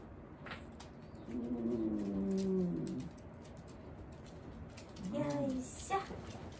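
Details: Elderly dog Wanta, receiving senior care during a morning routine and vocal whenever awake, gives a low drawn-out moaning groan lasting about two seconds, then a shorter rising moan; quiet indoor background.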